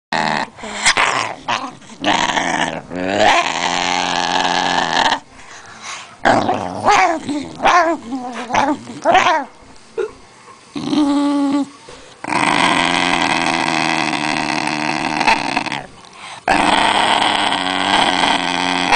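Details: Basenji indoors, sleepy and angry at having a camera pointed at it: loud, long growling and grumbling bouts several seconds each, with short yodel-like wavering cries between them.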